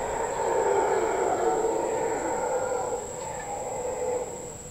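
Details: Howler monkeys heard from a patio at Casa Sonrisa in the Osa, Costa Rica: a steady, rough, roaring drone that swells and fades, with a constant high insect whine behind it.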